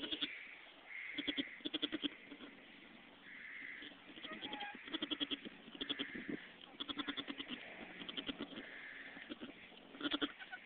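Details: Domestic goats at a farm birth, a nanny delivering her kids: short, nasal, quavering bleats come in bursts, each a rapid pulsed tremolo, repeated every second or two across the recording, with brief quiet gaps between.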